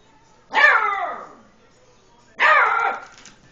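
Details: Two drawn-out yelping barks about two seconds apart from an 8-week-old Beagle puppy frightened by a tom cat while playing; each starts sharp and trails off, indoors, otherwise quiet.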